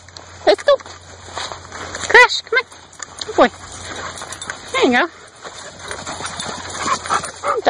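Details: Dogs loose in a pasture for evening relaxation after a day of training, running and playing. Several wavering, whiny yelps bend up and down in pitch, scattered irregularly, while a person calls the dogs to come along.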